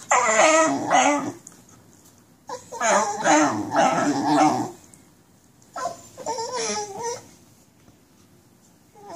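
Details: Basenji with nerve root damage, in pain while walking, gives three bursts of warbling, wavering cries, the last softer, with quiet gaps between.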